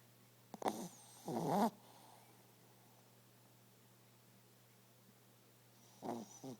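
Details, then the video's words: Pet dog asleep and snoring: a pair of raspy, gurgling snorts close together at the start, then a long quiet stretch with faint hum, then another short rattling snore near the end. "Snoring Dog"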